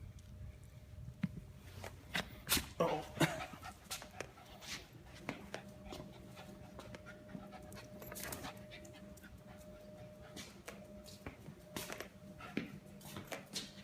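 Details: Rescued puppy on its first time home, panting in quick irregular breaths amid soft thumps and shuffling, with a steady electrical hum and a man talking gently to it.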